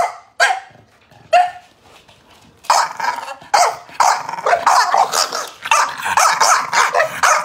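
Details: Chow Chow giving two spaced single barks, then breaking into a fast, continuous run of rough barks at over two per second until the end.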